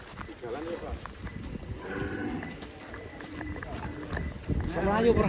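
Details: Large black bull in Indonesia, being led out of its pen, giving low, drawn-out moos mixed with excited human voices and the noise of a crowd.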